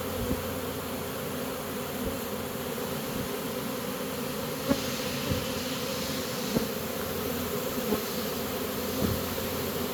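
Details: Honey bee swarm walking into a new home it has chosen: dense continuous buzzing drone, with several sharp knocks or bumps scattered through, loudest near five seconds.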